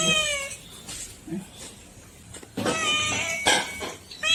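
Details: Pet house cats meowing: a loud, harmonic, falling meow at the start, a longer wavering meow in the middle, and another beginning at the end, with brief soft rustles between them.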